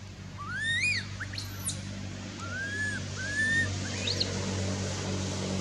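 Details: Baby monkey Anissa crying after Aron hit her and dragged her over hard earth at Angkor Wat Temple: a rising squeal, then drawn-out arched wails and sharp high chirping sweeps, over a low humming background.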